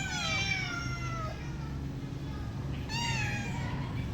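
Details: Pet cat meowing indoors: a long harmonic meow sliding downward over about a second and a half, a pause, then a second shorter, rising-then-falling meow near three seconds, over steady low room hum.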